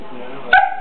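A dachshund gives a single sharp, high-pitched yip over a faint background hum.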